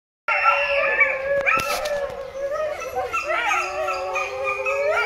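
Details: Coyote at Rescate Wildlife Rescue Center in Alajuela, Costa Rica, giving a sustained wavering howl with rich harmonics that begins abruptly after a short silence, with a brief sharp knock partway through.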